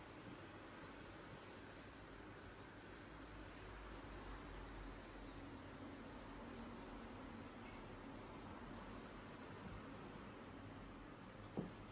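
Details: Quiet room hiss and faint rustling, with one brief knock near the end; no animal calls.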